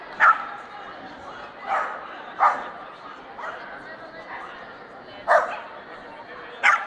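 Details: Swedish Vallhund at the Strängnäs international dog show on 15 March 2015, in the best male ring: sharp, bright barks come in irregular bursts, about five in seven seconds, over steady crowd chatter.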